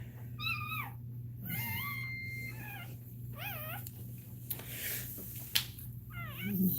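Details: Cane Corso whimpering during another dog's labour: a series of short, wavering, high whines, some bending upward, with faint voices and small bumps in the background.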